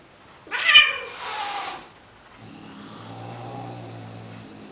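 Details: Male cat calling to a female Siamese cat to mate, in Athens, Greece: a loud harsh meow rising then falling, followed by a low droning, growl-like hum carrying on for about two seconds.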